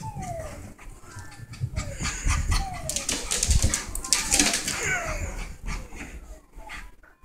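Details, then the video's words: Rat terrier dog just after a bath, giving short falling whines about once a second amid shaking and rustling noises, with a person talking and laughing over it. "rat terrier after bath"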